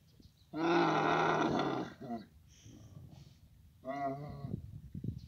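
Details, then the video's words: Camels at a mating-season meeting in Abu Dhabi: a loud, raspy bellow of more than a second, some faint grunting, then a shorter, quieter moan. "camel mating season"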